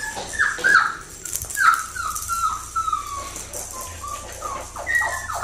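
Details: Puppy whimpers from a blue merle female Australian Shepherd of Magnolia's litter: short falling whines repeated roughly once a second, some stacked and overlapping, over a low background hum.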